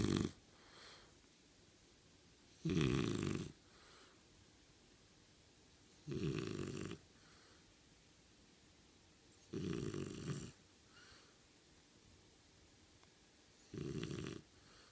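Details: Kotetsu, a French Bulldog, snoring loudly while pretending to sleep with eyes actually open: five rasping, broad snorts, each about a second long, spaced roughly three to four seconds apart, with faint breathing between them indoors.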